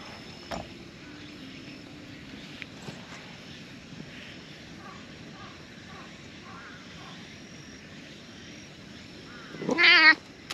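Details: Stray orange tabby cat, asleep inside seaside tetrapods, comes out happily on seeing a familiar face; a steady outdoor hush with a few soft knocks, then one loud, harmonic, rising-and-falling meow near the end.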